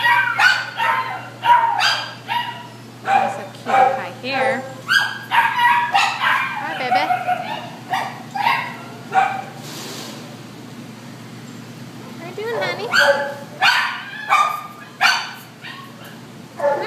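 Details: White terrier mix held at the Devore shelter, with bursts of loud, clustered barking about ninety per minute, a quieter pause midway, then more barking over a faint hum and occasional human voices.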